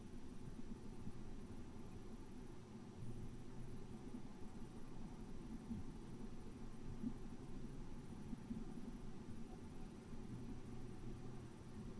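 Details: Only a steady low rumble like distant traffic or an engine is heard, with no animal calls.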